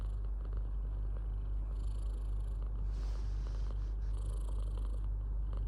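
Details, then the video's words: Pet cat purring continuously, a low steady rumble with rapid regular pulsing and faint hissy rustling in the background. "Beautiful sound of purring and yawning"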